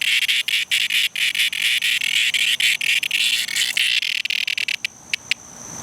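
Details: Cicada in distress giving a harsh, continuous buzzing rasp that is broken by short gaps and sharp clicks, then thins into a few separate pulses near the end.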